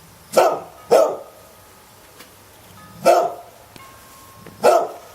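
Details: Pet dog barking: a quick double bark, a pause, then two more single barks, all harsh and loud, with faint thin tones in the background.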